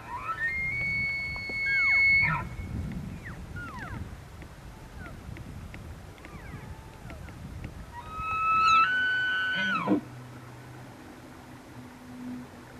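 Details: Elk (Cervus elaphus) in rut season at Benezette township, Elk County, Pennsylvania, giving two long, high, whistled bugles; the second one slides sharply downward and ends in low grunts, with a quieter, softer call between them and low outdoor rumble.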